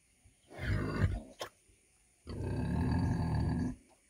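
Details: Two low, harsh grunts from a 100 kg female pig: a short one followed, after a brief click and a pause, by a longer, steady rasping grunt of about a second and a half.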